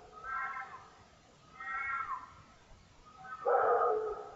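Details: Red fox screaming during the rut, captured by a trail camera: three harsh, hoarse, drawn-out screams of about a second each, the last one lower, rougher and louder.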